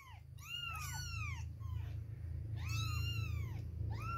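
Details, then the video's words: High-pitched arched meows from two-week-old baby kittens at milk time, several voices overlapping in clusters, over a steady low hum in the background. "2 weeks old baby kittens, milk time!"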